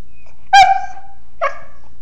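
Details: Sleepy mastiff puppy "talking": a sharp, bright whimpering yelp with a short sliding tail, then after a pause of almost a second a second, softer whining note, in a quiet room.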